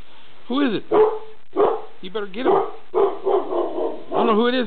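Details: Pet dog indoors barking at something unseen in the kitchen: a few short, sharp barks with a whiny rising-falling tone, while a man talks excitedly over it, urging the dogs on.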